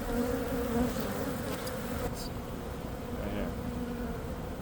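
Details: Thriving Western honey bee colony in a meter box during a removal and relocation to a new hive; continuous low, droning hum of many bees with a few brief higher buzzes of individual bees passing close.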